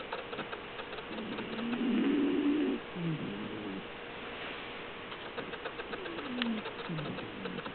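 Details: Melinda the pet cat snoring in her sleep: one loud, buzzing inhalation followed by fainter rasping breaths, a thin hum running underneath.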